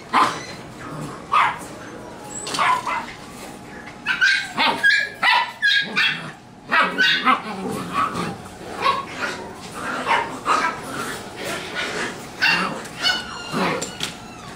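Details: Standard Poodle puppies and dogs; sharp, high yipping barks come in rapid bursts throughout, several in quick succession, with some human voices in the background.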